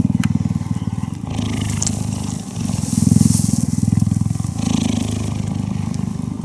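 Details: Purring from a cheetah being cuddled: continuous low buzzing vibration made of fast regular pulses, dipping briefly near the middle before resuming loudly, with occasional soft rustles.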